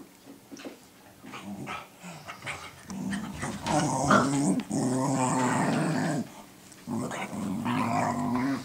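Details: Two pet dogs growling and barking at each other indoors, one said to be teaching the other to be a guard dog, recorded 12 June 2014; rapid rough growling with loud bark bursts, a person speaks afterward.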